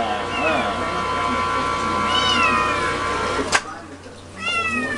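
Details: Pet cat making softer, shorter meows, apparently asking for food, separated by a sharp click, while a person chats to it over a steady background hum.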